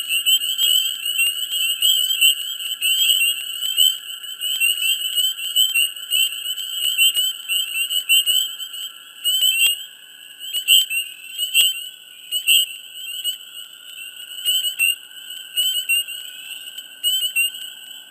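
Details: Dense frog chorus from a swamp in mid spring, a persistent shrill ringing trill under bursts of quick chirping notes and clicks that cluster and thin out in waves over the stretch.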